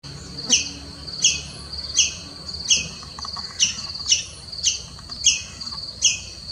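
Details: Indian palm squirrel, also called three-striped palm squirrel, giving sharp, high chirps repeated about every 0.7 seconds, nine in all, each a bright squeak trailed by a brief buzzy trill, over a soft background hiss.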